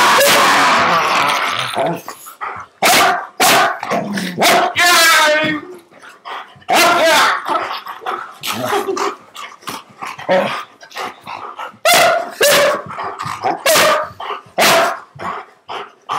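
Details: Husky giving loud, harsh barks and drawn-out, wavering yowls in quick bursts, with brief pauses between outbursts in a quiet indoor setting.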